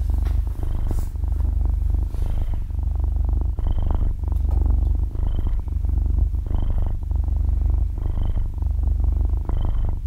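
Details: Six-month-old kitten purring as it sleeps, close-up stereo recording without talk or music; continuous low throaty rumble with breath swells every second or so, slight rustling at the start.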